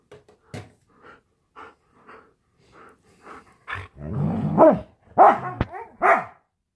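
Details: Huskies indoors at home, playing and play-fighting: a string of soft, quiet woofs builds into louder, drawn-out bark-howls with bending pitch, ending in several sharp barks.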